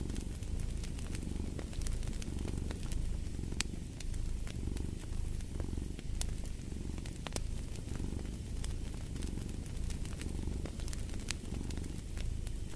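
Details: Low, steady cat purr with regular inhale-exhale swells around once per second, accompanied by sporadic crackling and snapping from a fireplace.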